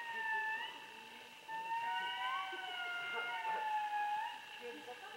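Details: Indri calling: several long, pure, wailing tones held and sliding between pitches, overlapping voices, some notes rising in swoops, with faint background hiss.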